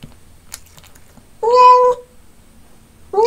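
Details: A domestic cat, apparently eating fish and making loud "om nom" eating sounds, gives a loud, drawn-out meow, then starts another as the recording ends.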